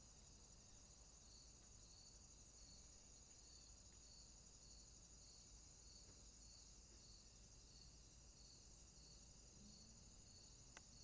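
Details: Night swamp chorus of crickets, with a continuous shrill hum and a rhythmic pulsed trill repeating roughly twice each second over low rumbling ambient noise.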